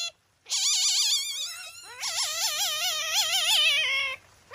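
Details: Haku-chan, a captive masked palm civet at Kusatsu Nettaiken in Kusatsu Onsen, irritated and angry; two long high-pitched warbling calls, each wavering rapidly up and down, separated by a brief pause.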